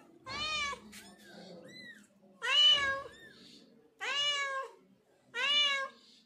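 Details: Domestic mother cat moving her five kittens out of a home shelter, calling indoors: four loud, clear meows, each rising then falling, spaced roughly every one and a half seconds, with faint chirps between and quiet room tone.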